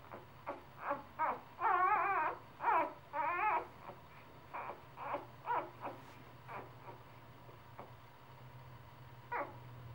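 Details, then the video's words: Three-day-old puppies crying in a rapid series of short, wavering high whimpers and squeals, loudest early on and then thinning to sparse, softer squeaks, with a low steady hum underneath. "3 day old puppies"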